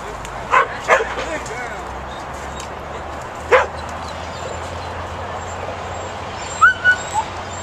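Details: Pit bull puppy working sheep, letting out scattered sharp barks: a short cluster at the start, a single yap a few seconds later, then a quick pair of higher, yelping barks near the end, with low steady rumble beneath.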